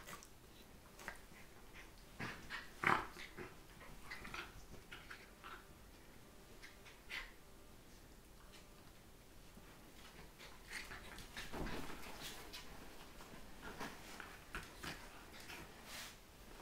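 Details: Scottish Terriers Mia, a 12-week-old puppy, and two-year-old Katie hold a morning wrestling match on a bed. Scattered grunting growls and snorts rise to a louder burst near the middle, over soft rustling.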